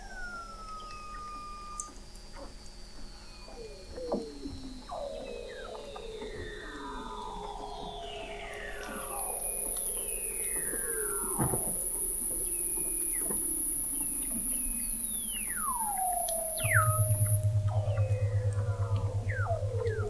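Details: Weddell seals recorded in November 2017 at the McMurdo Oceanographic Observatory, 21 m below sea ice in McMurdo Sound, Antarctica: overlapping descending whistled sweeps and glides, several callers, with a loud steady high tone and a low hum joining midway.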